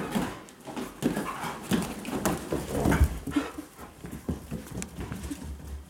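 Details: One of two Siberian Huskies, a male born 2010 or a female born 2013, gives short, low whimpers and grumbles in irregular bursts, excited before a walk, with shuffling and knocking noises.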